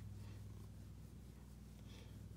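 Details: Pet cat named Chloe, indoors at play, with a back massager she loves nearby; a low, steady pulsing rumble of purring runs throughout, over a faint constant electrical hum.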